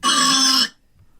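A domestic pig lets out a single harsh, raspy grunt, loud and steady for about half a second before cutting off. Faint low rumbling follows in the silence afterward.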